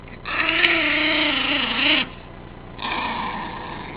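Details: Bonnie, a Cairn Terrier, snarling while being tickled: a loud, rasping, harmonic-rich growl held for nearly two seconds with a slight wavering pitch, a brief pause, then a second sustained snarl, indoors.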